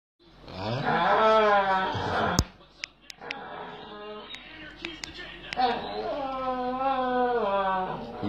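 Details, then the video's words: A dog making strange, talk-like noises while lying in an odd position, seemingly complaining: long wavering, moaning tones rising and falling in pitch, broken by a pause with soft clicks and knocks before the moaning resumes. "Dog Make Strange Noises"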